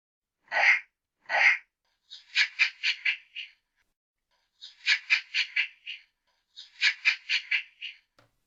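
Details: A chimpanzee (Pan troglodytes) gives two harsh bursts, then quick runs of shrill, pulsing hoots repeated in bouts.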